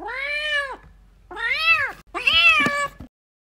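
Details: Three loud, clear meows in quick succession from kittens fighting and playing, each an arched, harmonic-rich cry lasting under a second, the last one rougher and more urgent.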